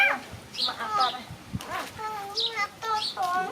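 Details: Puppies at play, giving short high whining yelps with bright harmonic tones, several in quick succession, some rising and falling, with a person's voice briefly heard.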